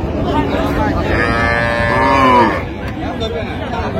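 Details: Cow among cows with calves at Raniganj haat, Dinajpur, June 26, 2025, lets out a bellowing moo that swells and fades over about a second, with voices of people bargaining around it.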